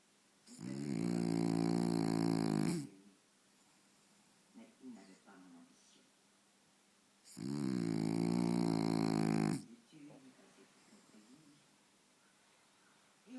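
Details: Faro, a French Bulldog, sleeps soundly before the television, giving two long raspy snores about seven seconds apart, each roughly two seconds, with soft snuffles and quiet breathing between them in a small room.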